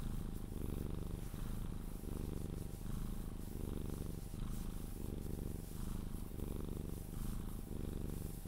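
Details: A Sphynx cat being cuddled purrs steadily until it falls asleep, a low continuous rumble with a soft rhythmic pulse.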